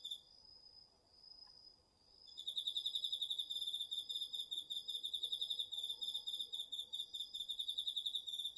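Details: Crickets and other autumn insects singing at night in a garden field, DR-40X recording: a lone steady high-pitched tone for two seconds, then a fast pulsing chirp trill starts and keeps going evenly to the end.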